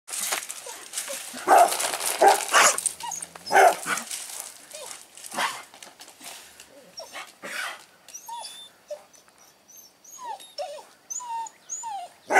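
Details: Dog barking near a baby: loud, sharp barks repeat irregularly through the first two-thirds, then give way to thin, high, rising and falling whines.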